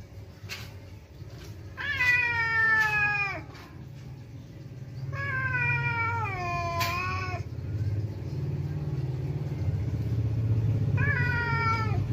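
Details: Kiki, a domestic village cat, yowling in anger at another cat coming to the house: long drawn-out wavering howls that slide downward, three bouts separated by pauses, over a steady low background rumble.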